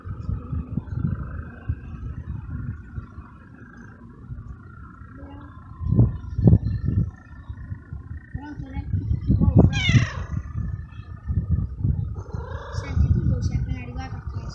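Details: Young male feral kitten in a city garden, purring after a meal and meowing, said to miss its mother; steady low throbbing purr throughout, broken by a few short meows near the middle and end.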